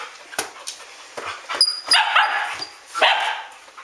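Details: Standard Poodles at their house just after midnight, 12 August 2014, letting out scattered yips and short harsh barks, some clustered in loud bursts near the middle and end, while several dogs sound off together in a lively nighttime commotion.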